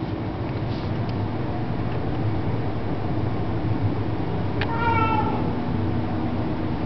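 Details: Domestic cat with a loud voice, recorded in 2007 on low-quality equipment: a single drawn-out meow midway, bending down at the end, over a steady rumble of low background noise.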